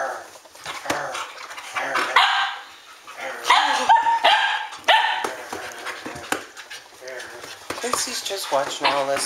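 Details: Standard Poodles from Arreau Standard Poodles, nicknamed the Dingbats, recorded at midnight on 12 August 2014 while playing rowdily together. Irregular loud barks and yelps alternate with whining, and a man speaks between the outbursts.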